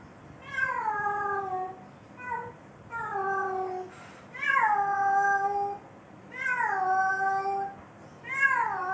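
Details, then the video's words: Mating call of a domestic cat: five long, plaintive wails, each swelling upward then sliding down and fading, spaced one to two seconds apart in a quiet indoor room. "اصوات القططcat mating sound"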